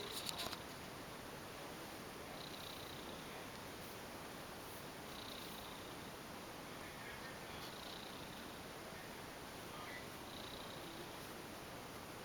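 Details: Piccolina, a female ex-stray house cat who once had a litter of four kittens, purrs hidden under bed sheets indoors: a soft, steady rumbling with faint breathy swells about every two and a half seconds and a brief rustle at the start.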